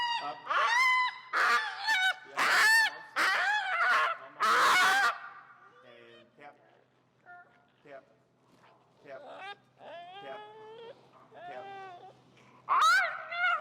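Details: A feral husky named Finnegan objects loudly in a heel training session: harsh, honking screams in several bursts, then quieter drawn-out whining tones, and a final loud scream.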